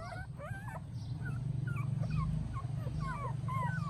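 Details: High, wavering puppy whimpers beside their mother dog in Siem Reap, Cambodia: quick squeaky notes that rise and fall, several per second, against a loud low droning hum.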